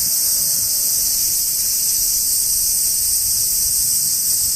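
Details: A hot summer chorus of bugs in Japanese trees, heard as a continuous, even, very high buzzing hiss that never pauses or changes in loudness over the short stretch.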